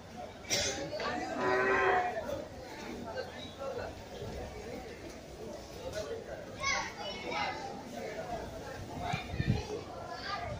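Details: Moo from cattle at the Gabtoli cattle market in Dhaka among big bulls; one short tonal low near the start, then busy market noise with people talking and clattering throughout.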